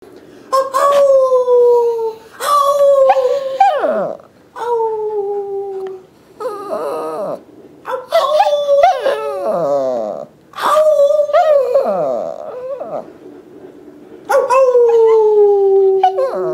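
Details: A young Yorkie–Shih Tzu mix dog being taught to howl, which can't yet howl properly, gives short, clear, nasal howls that droop at the end, with wavering, sliding whimpers between them as it tries to hold the tone.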